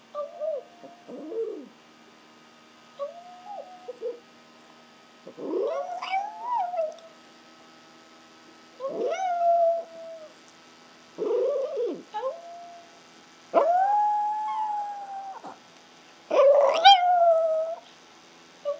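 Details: Pet Chihuahuas Ace and Oscar, Ace howling when he can't find his mom: a series of wavering mid-pitched howls, each rising then bending down, some with sharp upward yelps, coming in bursts roughly every two to three seconds over a quiet room.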